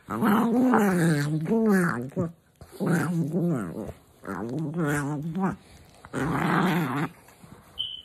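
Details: Indoors in the morning, a female dog that dislikes being kissed awake voices four or five sustained, wobbling grumbles and growls in quick succession.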